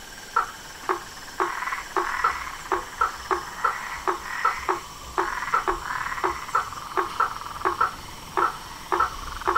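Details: A nightfall chorus of toads, frogs and tree frogs at a farm pond beside a veranda: rapid, knocking croaks repeated roughly twice a second, several callers overlapping, with a soft buzzing trill underneath and a steady background hum.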